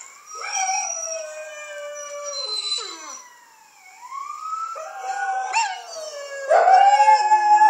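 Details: A female Miniature Pinscher howls in long, wavering tones that rise and fall, with overlapping howls joining in, set off by a video played to make dogs howl.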